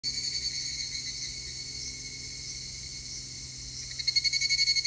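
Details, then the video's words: Evening cicada singing on 3 August 2021, a steady high shrill drone overlaid near the end by rapid pulsing, a fast repeated ringing phrase, with other insects buzzing continuously. "セミの鳴き声 ひぐらし"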